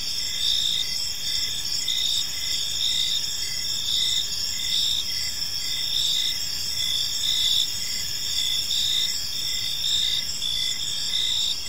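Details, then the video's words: Evening park crickets in chorus, high shrill pulsed chirps running continuously in short repeated bursts, multiple insects layered together over soft low environmental noise. "Park Serenade: Cricket Sounds in a Peaceful Park | Evening Ambience"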